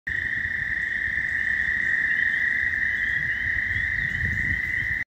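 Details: An American toad gives a long, steady, high musical trill that holds without a break, recorded with spring peepers in Missouri on March 28, 2020.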